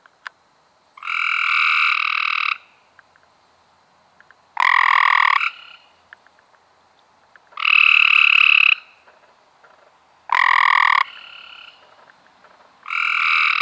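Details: Five harsh, fast-pulsed trills from Cope's gray treefrogs in May 2016, each about a second long and spaced roughly every three seconds, with occasional faint clicks in between.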